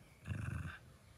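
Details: Henry, a male Jack Russell Terrier, gives a short, low, rumbling growl while guarding his beloved stuffed monkey toy from a person asking for it at bedtime.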